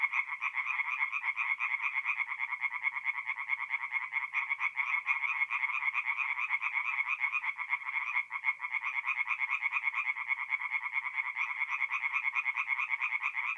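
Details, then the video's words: Forest pond at night in North-East Italy, mid April, alive with singing tree frogs, a continuous bright chorus of rapid rasping croaks, about two per second, with a momentary dip near the middle. "relaxing forest pond by night with singing tree frogs"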